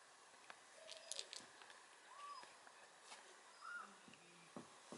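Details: An 8-week-old British Shorthair kitten gives soft, brief mews that rise and fall in pitch.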